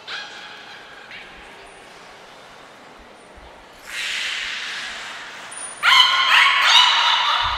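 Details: Niko the beluga in training at Port of Nagoya Public Aquarium, 25 February 2024: a short harmonic call, a pause, then two loud, bright, buzzy squeal bursts with rich overtones, plus a thin high whistle tone.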